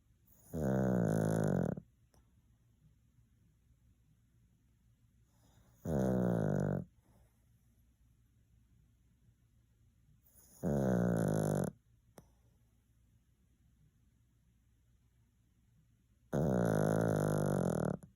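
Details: A 16-year-old senior pet Pomeranian snoring loudly while asleep: four loud, rasping, buzzy snores, each about one and a half seconds long, come roughly every five seconds, with near silence between them.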